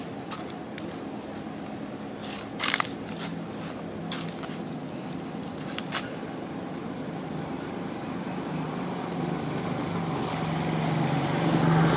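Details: Steady outdoor traffic rumble with a few sharp clicks and crackles, rising slightly toward the end, and no animal calls.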